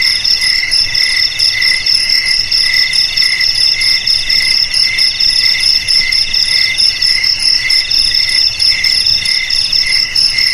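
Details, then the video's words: Chorus of crickets, presented as a traditional means of scaring rats away from houses and rice paddies, trilling without break in bright, shrill pulsed tones that overlap and swell slightly; nothing else is heard. "Suara JANGKRIK"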